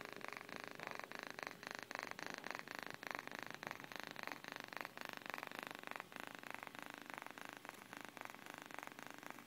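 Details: Sleeping cat Miyuki purring gently, a soft vibrating hum built of rapid regular beats that barely change in loudness, with a small dip near the sixth second, otherwise an unbroken calm rumble.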